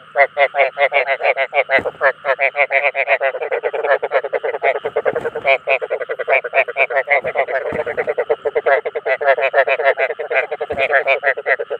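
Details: Rice field frogs giving calls that attract others of their kind: a dense, unbroken chorus of rapid, pulsed croaks overlapping for the whole stretch, with a steady low hum underneath and a few brief thumps.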